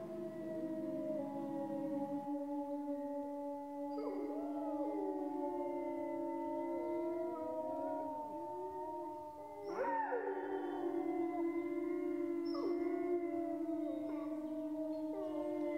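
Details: Group of grey wolves howling in France: sustained overlapping howls with bursts of quavering, bending yips around the middle and again near the end, deeper and higher voices blending in a continuous chorus.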